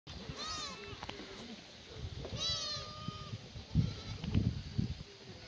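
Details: Black goats at a free-range farm on the slopes of Muchuksan in Sangdong-myeon, Gimhae, South Gyeongnam, Korea, on a sunny Tuesday morning in May during feeding; two wavering, harmonic-rich bleats, with thumps and handling noise below.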